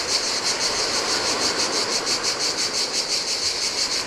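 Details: Heat-of-day cicada chorus at a lonely Greek island beach on the Adriatic sea; a sharp, pulsing high buzz repeating about three times a second against a constant hiss of breaking surf.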